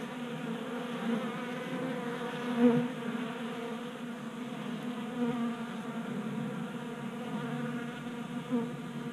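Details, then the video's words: Many honey bees feasting at a 3D printed bee feeder in a Colorado garage during unusually warm January weather; continuous buzzing drone with harmonics, brief louder swells as individual bees pass close. "Honey Bees Feasting from 3D Printed Bee Feeder"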